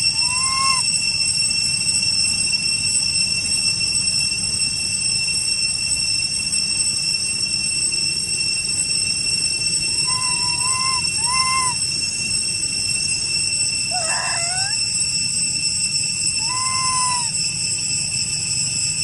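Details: Young brother and sister monkeys that lost their mother and group give short, clear, slightly rising coos, calling loudly for their group over a steady insect drone.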